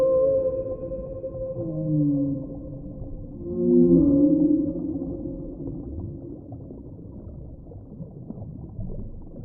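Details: Whale moans: low, wavering tonal calls that slide downward, with a louder swelling moan in the middle, fading into low underwater rumble.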